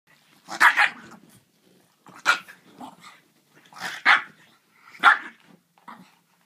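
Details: French Bulldog playing with a griffon, giving harsh, growly barks in four main bursts spaced roughly one to two seconds apart, with softer grunts trailing some bursts.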